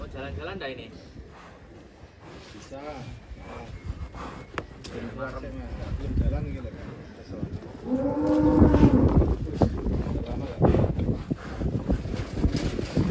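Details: Cattle ridden by a child, giving a drawn-out low harmonic moo with a steady pitch late in the clip, amid people talking and handling noise.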